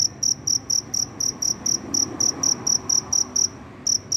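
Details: After rain, a cricket searching for a partner chirps very loudly: rapid, evenly spaced shrill pulses about four per second, with a brief pause near the end.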